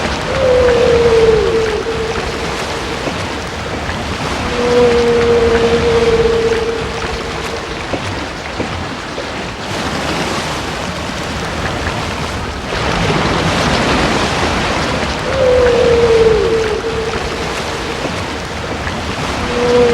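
Humpback whale calls: long, mournful tones that slide down and then hold steady, repeating over a rushing sea.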